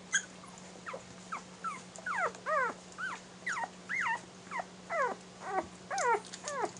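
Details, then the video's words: Airedale Terrier puppies one week old, nursing from their mother; repeated high whimpers and squeals with arching, harmonic-rich contours, about two per second, over a steady low hum. "airedale terrier welpen - airedale terrier von erikson - J-Wurf - 1 Woche alt"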